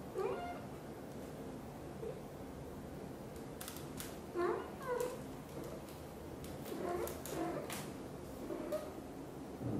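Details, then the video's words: British Shorthair mother cat Xaxa, blue golden, indoors, talking nonstop while grooming her tiny kitten Piano; soft, short chirped meows come in scattered bursts across the stretch, some rising and some falling, over a low room hum. "Mother cat is talking nonstop and grooming her tiny kitten"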